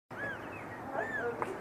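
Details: Two tiny newborn kittens, eyes just opened, trapped at the bottom of a dumpster awaiting rescue; thin arching mews rise and fall, several short cries in quick succession over a steady background hiss.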